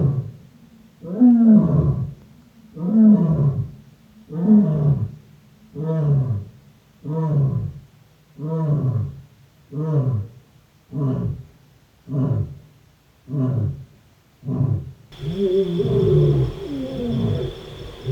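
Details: Lion of the African savanna roaring: deep moaning grunts repeated about every 1.2 seconds, spacing tightening toward the end, each burst low and rough, followed by fainter trailing grunts with a steady high hum.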